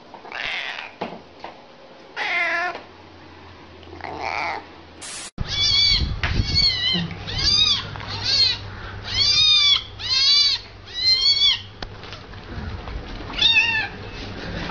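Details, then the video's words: Domestic cat calls in a compilation: a few softer meows first, then a rapid series of about a dozen short arched meows, each rising then falling, roughly one per second, with a low steady hum underneath. "Kompilasi Kucing Comel Mengiau, Meow, Miau,"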